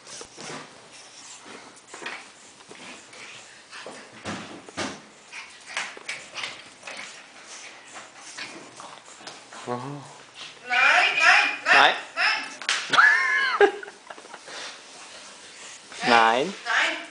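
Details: Ronny the pug on his first day moving into a new home with dogs Jenny and Dyablo: soft rustling and quiet voices, then several high, wavering whines in short bursts, bending up and down, near the end.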